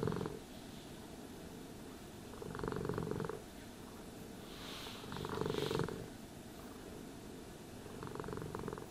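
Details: A cat purring contentedly during grooming; short throbbing surges of purr return roughly every two seconds, with a brief hiss of bristles dragging through fur midway.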